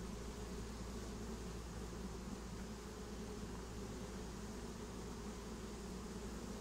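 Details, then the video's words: Dense, even drone of a honeybee swarm settling into a new home, a rich, steady, low humming buzz filling the whole recording without pause. "Swarm of honeybees get new home"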